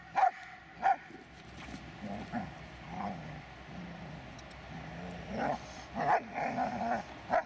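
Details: Dobermann Magmar Von Der Burgstätte gives a pair of short barks, then a stretch of low, droning whine-growls before more scattered barks and yips near the end.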